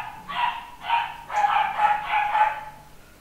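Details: Nine-week-old male pedigree Papillon puppy, home bred by a UK breeder, yapping in five high, sharp barks within three seconds, roughly two per second, each bark bright and ringing over a quiet background.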